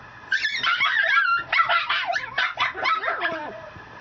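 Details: Mame Shiba puppy, a female, at a breeder in Japan, giving a rapid run of high, squeaky yips and whimpering barks, bunched together over about three seconds.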